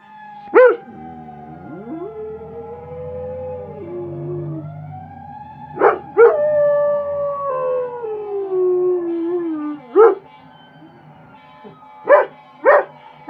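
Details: A male German Shepherd howls in long, wavering tones broken by a few sharp yips, set off by a video of fire truck sirens.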